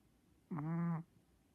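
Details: A pet Chihuahua snoring, recorded in August 2016: one half-second, nasal, humming snore with a steady low pitch and a slight rise at its onset, set against a quiet background.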